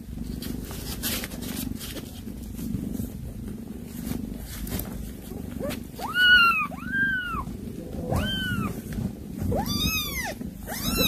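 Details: Cat calling, recorded where a mother cat brings prey and calls her kittens; a quiet stretch of low rumbling background, then four clear arched meows in the second half, each rising and falling.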